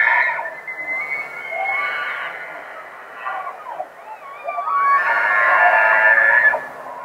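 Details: In Rocky Mountain National Park during the rut, a bull elk bugles, a high, drawn-out whistle that slides upward and holds a shrill pitch.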